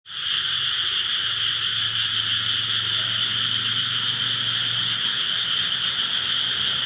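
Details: Frogs in rice paddies near a home in Japan: a dense, unbroken chorus of high trilling croaks forming a steady shimmering wall of sound, with a faint low hum underneath.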